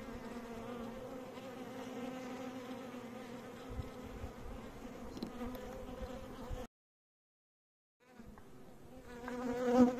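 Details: Steady droning hum of bees for several seconds, then an abrupt silence of over a second, after which the buzzing returns and swells louder at the close.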